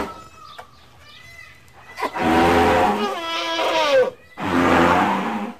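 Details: Elephant calls: faint tonal notes at first, then two loud, harmonic, bellowing calls with bending, partly falling pitch, separated by a brief pause.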